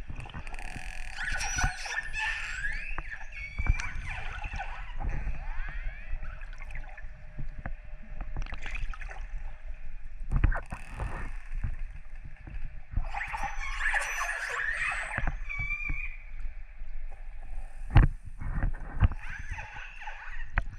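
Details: Wild orcas recorded underwater in northern Norway in December 2018, after dark, give squeaky, tonal calls with rising upsweeps over steady bubbling and gurgling.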